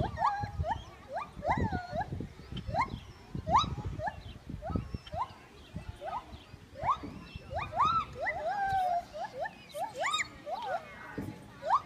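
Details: Gibbon song of rapid rising whoops, each note sweeping sharply upward before dropping, given in quick succession over steady low background rumble and noise.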